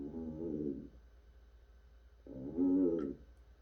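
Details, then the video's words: African bullfrog, also called pixie frog, calling: two low, droning, harmonic croaks, each just under a second long and about one and a half seconds apart, the second slightly louder, over a faint steady background hum. "아프리카 황소개구리ㆍ픽시프록 울음소리"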